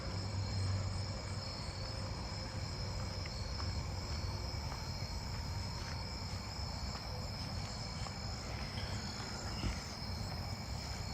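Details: An Allard's ground cricket (Allonemobius allardi) sings a thin, high, steady trill at night in a residential neighbourhood, over a low rumble of traffic, with round-tipped coneheads also calling nearby.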